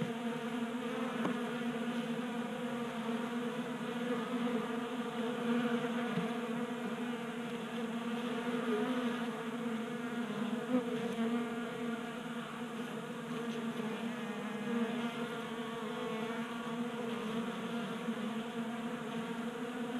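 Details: Swarm of honey bees feasting from a tabletop feeder in a Colorado garage during an unseasonably warm January, producing a dense, unbroken droning hum with stacked tones, slight swells in loudness and a faint tick near the start.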